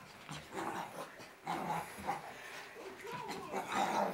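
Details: Merlita, a six-month-old Shih Tzu in hyper mode during her daily crazy run in circles, gives short bursts of playful growling and whining vocalizations, with several quieter gaps between them, indoors.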